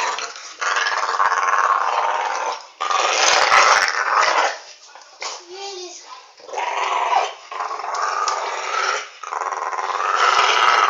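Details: Alfie, a dog, teaching a new pup: long harsh growling spells separated by brief quiet gaps, with a short whining tone in one lull.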